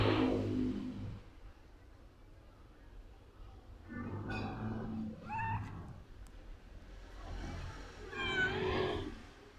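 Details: Cute cat walking around a person a lot, meowing several times: clear wavering meows that rise and fall in pitch, separated by pauses of a second or two, against low rumbling background noise.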